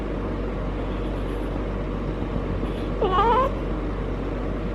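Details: One brief, quavering, wavy yowl near the end from Harley, a feral she-cat in heat, calling for hours during her first cycle; otherwise only a low constant hum.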